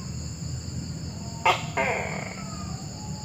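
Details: Single two-part call of a tokay gecko, a sharp harsh burst quickly followed by a drawn-out croaking note, against constant background hiss and high-pitched steady tones.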